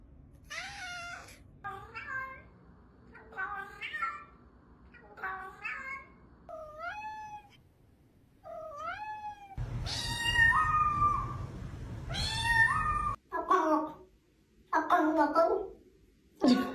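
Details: Cat meowing over and over in short, rising then falling calls roughly every second, growing louder and harsher toward the end, with a brief low hum in the middle.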